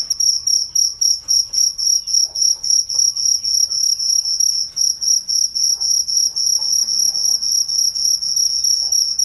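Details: Steady night cricket song meant for relaxation, piercing high chirps pulsing close to four times per second, evenly spaced with brief volume dips, little other sound.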